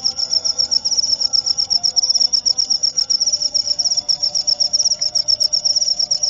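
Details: High, evenly pulsed cricket song, presented for calming sleep and repelling rats, with rapid chirps about four per second and a soft low hum in the background.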